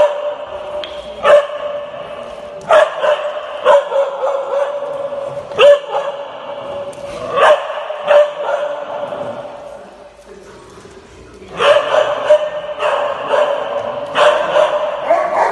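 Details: A jealous Alaskan Malamute at doggy daycare protests its companion playing with other female dogs. Rich, tonal howl-like bursts repeat about every second or so, then pause briefly and resume with a run of closely spaced loud outbursts.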